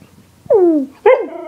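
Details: Siberian Husky named Yorga greeting its owner in bed in the morning: two loud harmonic whines, the first sliding downward, the second rising then falling, in a quiet room.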